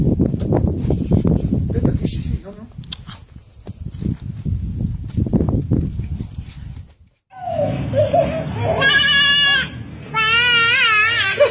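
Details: Goat (Capra hircus), bleat.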